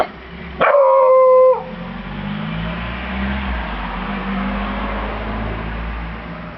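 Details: Beagle named Bruno giving a single loud, drawn-out baying howl lasting about a second, steady in pitch with a sharp onset, followed by quiet room hum.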